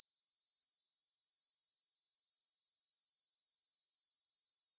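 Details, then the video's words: A field near Bryansk's Svensky monastery, Russia, 9pm on 6 September 2020: grasshoppers stridulate in a bright, high rasping trill of quick, evenly spaced pulses, recorded in stereo with a Tascam DR-44WL. "Звук для сна: кузнечики на лугу – Grasshopper Sounds in the Field"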